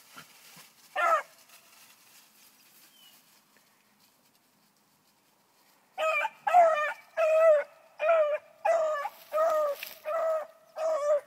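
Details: Four-month-old bluetick beagle Annie bays on a rabbit's track. One lone yelp comes early, then after a quiet stretch a steady run of about nine ringing, yelping cries follows, roughly one every half second.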